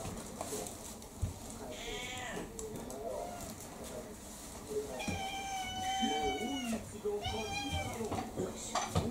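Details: Kurumi, an indoor orange tabby mixed-breed cat about four years old, eagerly pestering for dinner at home; several drawn-out, wavering meows, the longest near the middle, mixed with a woman's voice and household clatter.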